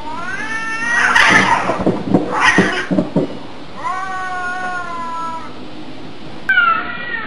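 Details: Cats fighting: long, tonal wails with rich harmonics, bending gently downward, broken by harsher growling bursts, then another sustained whining howl and a sharp closing yowl.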